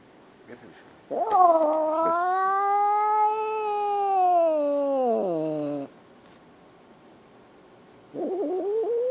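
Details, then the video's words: A scared kitten lets out one loud, sustained, rising-then-falling wail lasting about five seconds, sagging into a low rough tail, followed after a pause by the start of another cry. "Scared kitten"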